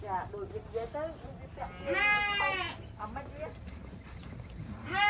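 Several sheep bleat in turn, their voices quavering and nasal with a rough, tremulous edge. A louder, drawn-out 'baa' stands out midway, another starts right at the close, and softer bleats fill the gaps.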